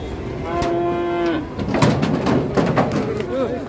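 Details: Sacrificial cow on the rampage, panicking the people around it, gives a single steady, low moo lasting nearly a second, followed by clattering knocks, crowd voices and background bustle.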